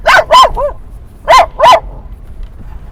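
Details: Barking dog on a ride to a San Diego dog park at sunset, calling at passing dogs: two loud barks with a softer yip, a short gap, then two more loud barks.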